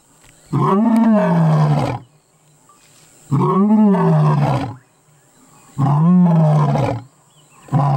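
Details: A lion roaring up close, only about 20 feet away, on safari in South Africa: deep, rumbling roars, each lasting over a second, repeated at steady intervals.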